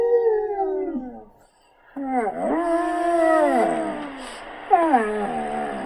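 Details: Calla, a female pet Samoyed, answers recorded howls of other dogs. A falling howl fades to a brief silence, then a rising, arched, wavering howl follows, ending in a quick downward-sliding cry.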